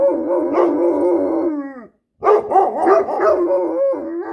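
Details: Two domestic dogs, a Great Dane and a Standard Poodle, howling: a steady sustained howl lasting nearly two seconds that bends downward at its end, a short pause, then choppy warbling howls rising and falling several times.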